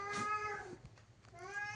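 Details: Domestic cat indoors meowing behind a closed door it wants opened; a harmonic meow that falls away at the end, a short gap with faint room noise, then a second rising meow.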